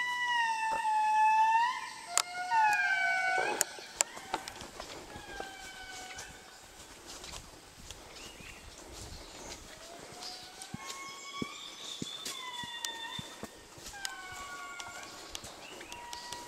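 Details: Indris (Indri indri), the largest lemurs, in Madagascar, sing: loud, siren-like swooping wails with several voices overlapping and answering one another.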